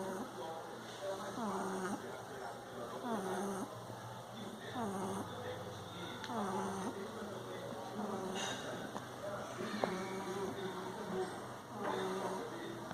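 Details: Sleeping Bulldog named Frederico snores steadily, each drawn-out breath carrying a wavering whistled buzz, roughly one snore every two seconds, with faint background hum.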